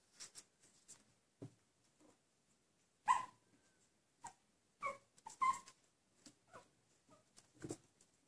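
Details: Four-week-old Chihuahua puppies give short, high whimpers and squeaky yelps at irregular intervals.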